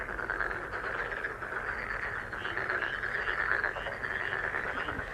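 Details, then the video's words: A steady frog chorus, presented as the sound of a lucky frog for healing and meditation. Many callers overlap into a thick, continuous rattling croak, with scattered brighter pulsed notes standing out above. "행운 개구리소리 The sound of a lucky frog"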